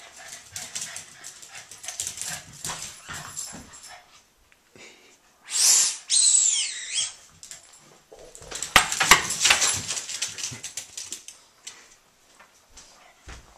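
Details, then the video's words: Two Boston Terriers fighting, playing and chasing each other around a house: busy scrabbling and clattering of paws, then one short, high, wavering squeal in the middle, followed by more fast scuffling and bumps. "Boston Terriers Playing & Chasing"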